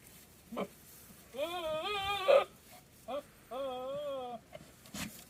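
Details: Goats in rut, with one suspected to be in heat, give two long, quavering bleats rich in harmonics with a pronounced wobble in pitch, in an area with wildfires nearby.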